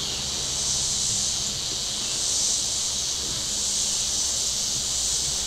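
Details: Cicadas on the shore of Table Rock Lake in southern Missouri on a very warm Saturday, giving a steady high, hissing drone that swells gently and fades back over a few seconds, with faint low lake rumble beneath.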